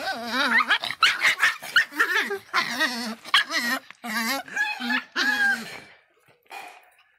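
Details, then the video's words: Hot-tempered Miniature Pinscher Faísca yapping in quick, tremulous barks with a whining, warbled tone, roughly eight in the first five seconds before falling quiet. "som latidos de pinscher miniatura bravinho"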